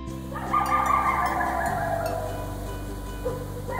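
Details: A coyote (Canis latrans) gives a drawn-out, wavering howl that slides gently downward, over a low musical drone.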